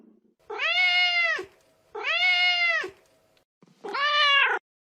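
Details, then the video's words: Calling for her kittens, a mother cat gives three long, steady, rich-toned meows, each about a second long, with brief pauses between them. "Mother cat calling for her kittens"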